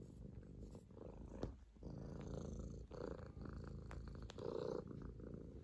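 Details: Pet kitten Bıdık on a person's lap making biscuits, purring for love and affection; continuous low vibrating rumble, swelling and fading with each breath, a few faint clicks.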